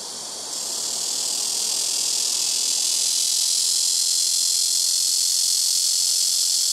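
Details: Very noisy blackish cicada (말매미) chorus from trees near a rooftop, insects singing in turn on neighbouring trees; a high, hissing electric-like buzz rising quickly in volume at the start and then sustained evenly.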